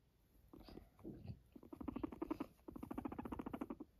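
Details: Guinea pig kept as a pet making short bouts of purring, quick low pulsed rumbles that start and stop several times, the final burst the longest and steadiest.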